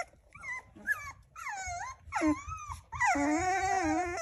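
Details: Puppies asking to be fed: a series of short rising-and-falling whimpers, each about half a second, ending in a long, strained whine, with soft low rumbling underneath.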